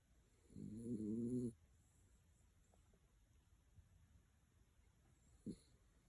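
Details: Snoring of an elderly 12-year-old dachshund: a single rough, buzzy snore about a second long, followed by quiet breathing and a brief faint snort.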